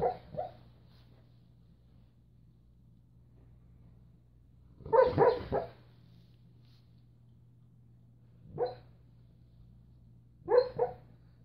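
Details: A pet dog barking in its sleep while dreaming: soft, muffled woofs in short clusters of two or three, separated by several seconds of quiet, over a steady low electrical hum.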